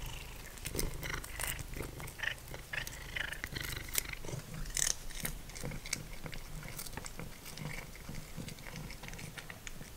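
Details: While Simba, a once-feral cat, munches dried minnows, a low purr hums underneath frequent sharp crunching and clicking bites that dominate the foreground.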